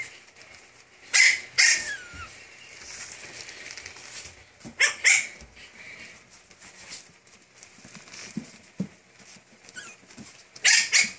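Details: A tiny pocket-sized Pomeranian lets out shrill, squeaky barks in three separate pairs, with quiet pauses of a few seconds between the bursts.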